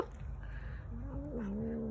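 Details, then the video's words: Domestic cat growling, compared to a Soviet motorcycle: a low rumble rising into a sustained tonal moaning growl, steady and slightly wavering, with a faint background whine. "Кошка смешно рычит как мотоцикл"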